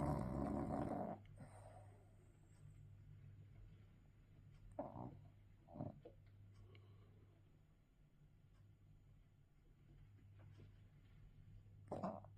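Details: English bulldog asleep, snoring: a heavy rasping snore opens, then short snorts and snuffles at intervals of a few seconds over a steady low hum, ending with another brief snort.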